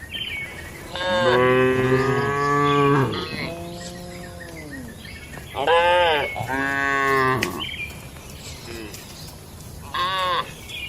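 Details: Cattle at night in a traditional rural shed, a long, deep moo followed by a descending call and a further pair of moos, then a short higher call near the end, over soft ambient hum.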